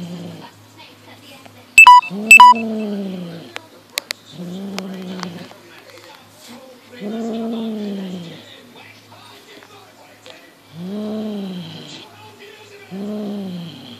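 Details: Monty, a six-month-old Highland Lynx cat, plays with a fox tail as his natural instincts kick in. He gives low, drawn-out, arching growl-moans, about five of them with pauses between, plus a few sharp clicks and taps.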